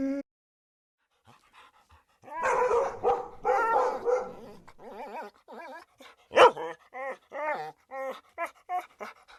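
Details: Siberian Husky making a rough, grumbling vocal stretch followed by a series of short, wavering whimpering yips repeated roughly every half second.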